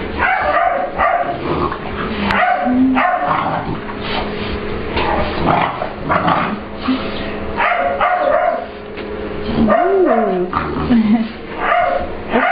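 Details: An English Bulldog/Pit Bull puppy named Ester at playtime with a visiting dog, Layla, in a grooming room, claiming the space as hers. Repeated rough barks and yips come in bursts, with one higher rising whine-like yelp near the end. Constant hum throughout.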